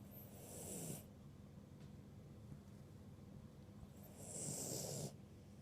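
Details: A sleeping ruby Cavalier King Charles Spaniel named Birdie snoring at a moderate level. Two breathy, rasping snores with a hissing edge are separated by a quiet pause of about three seconds.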